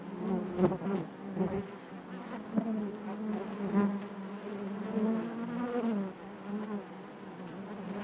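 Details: Honey bees in their hive produce a constant droning buzz, a deep fundamental with bright layered overtones, louder bursts early on and a smooth wavering hum through the rest.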